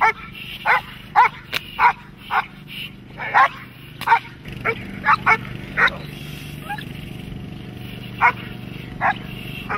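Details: Dogs in protection training, German Shepherds and Malinois among them, give a run of sharp barks, roughly one or two per second, over a steady low hum.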